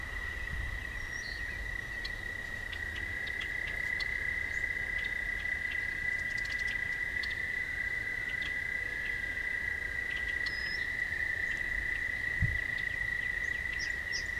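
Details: Toads singing on a night walk along a path, a continuous high buzzing trill holding one steady pitch for the whole stretch, with a faint wavering second trill beneath it, a few soft chirps and light low background rumble.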